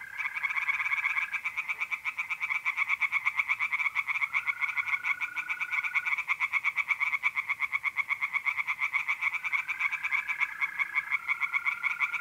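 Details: Night chorus of tree frogs in a pond, North-East Italy, mid-April: dense, raspy pulses repeated several times a second without a break, layered over steady high mole cricket trills that stop and restart in overlapping stretches.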